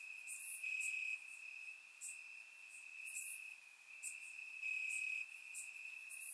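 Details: Night chorus of crickets in Bulgarian grass on a warm summer evening, captured in surround sound; one continuous shrill trill rises and falls in loudness, overlaid by scattered sharp higher chirps.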